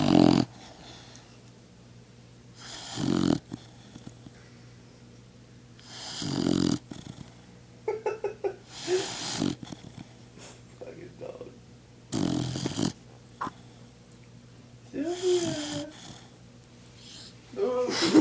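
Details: Female dog Sylvia asleep after a hearty meal, snoring in rough, breathy bursts about every three seconds, each a short grating rasp, with a few soft murmurs and faint voice-like sounds between them.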